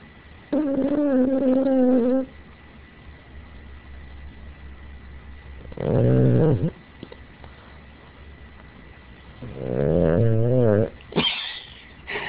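A sleeping Boston Terrier snores in rough, rumbling bursts, with a thin wavering whine as it dreams.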